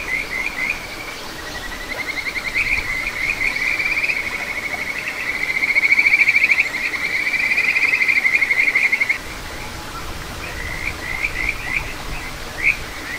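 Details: Kajika frog singing from a small stream in satoyama at Ichihara, Chiba, Japan, recorded 9 June 2022: short rising whistled notes build into a long, loud, rapid trill lasting several seconds, then fall back to scattered chirps.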